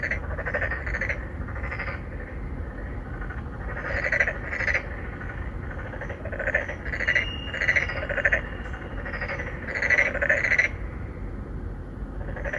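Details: Three or four narrow-mouthed frogs courting females in an apartment-complex pond in Songdo, Incheon, Korea, recorded on a Galaxy Note9 in 2019; bursts of nasal, buzzy croaks overlap in a steady chorus, rising and falling in clusters over constant low background rumble.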